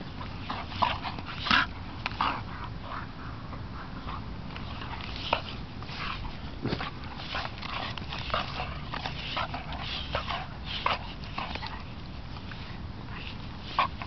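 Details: Two dogs, one a Doberman, messing around together at a dog park; scattered short, sharp yips and scuffling bursts break through a steady low rumble of background noise across about fourteen seconds.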